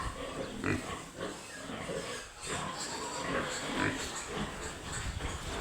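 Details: Piglets calling, short harsh squeals and grunts scattered through a noisy, busy background, with broadband rustling and shuffling throughout.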